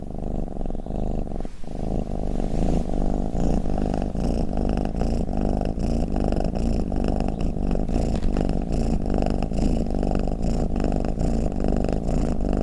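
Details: Cat snoring with a purr. Quieter for the first second or so, then a strong, low, throbbing rumble of quick pulses continues steadily to the end.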